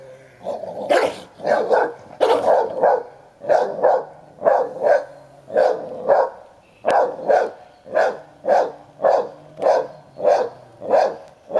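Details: A 10-year-old Hovawart defending his toy against a boisterous one-year-old American Staffordshire Terrier. Steady, rapid barking, some doubled at first, then single harsh barks repeating roughly every half second without pause.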